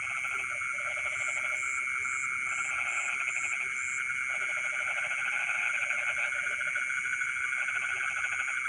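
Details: Frogs calling in rice fields in the middle of the night: bursts of rapid low pulsed croaking repeat every second or so over a steady high insect-like drone, with intermittent short high buzzing dashes.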